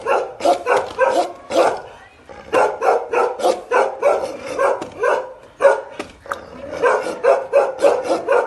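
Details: A pair of Bakarwal dogs, a protective breed, barks aggressively. The deep, rough barks come in quick bursts, with a short pause near the middle and another just before six seconds.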